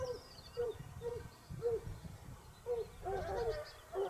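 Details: Basset Hounds of the Topsfield Lebrera pack hunting in Spain during their second season, 2015-16. Short hooting bays sound roughly every half second to one second, with a few voices overlapping near the end and faint bird chirps high above.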